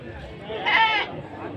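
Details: Goat at an animal market in Sumpiuh, Banyumas, Central Java, 20 December 2025, giving a single wavering, nasal bleat of under half a second, rich in harmonics, over steady crowd chatter and market noise.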